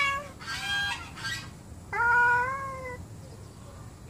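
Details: Angry house cats, several sharing a home and quarrelling, give two short strained meows and then a long, level, harmonic yowl lasting about a second. Faint room noise underneath.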